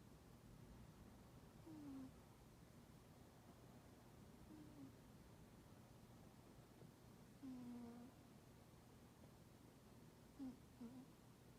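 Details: Toraji, an aloof domestic cat, snoring in its sleep with soft puffing 'pū pū' sounds: three brief, low, faintly whistled nasal notes spaced several seconds apart over a quiet indoor background hum.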